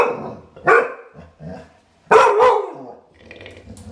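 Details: Clumber Spaniel barking indoors: a sharp bark near the start, then a louder pair of barks about halfway through, with soft grumbling between and another bark cut off at the end.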